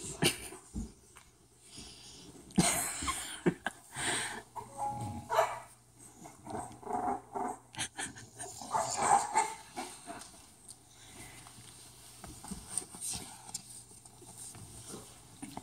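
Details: Bulldog puppies playing indoors: irregular bursts of short yelps, snorts and rough scuffling, with a couple of brief thin whimpering tones near the middle, over a low steady hum.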